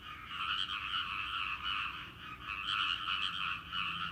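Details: A chorus of frogs in a rice paddy fields a seasonal sound; rapid rattling croaks overlap continuously, rising and falling slightly in loudness in uneven waves.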